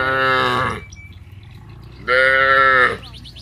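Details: Two loud, rich moos from cattle calling to one another on the way down to village rice fields, separated by about a second of quieter low background noise.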